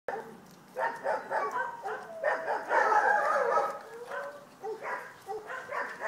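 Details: Vizsla puppies at a kennel, a litter calling together: overlapping short yips and whines, uneven and rapid, with a few longer falling whimpers.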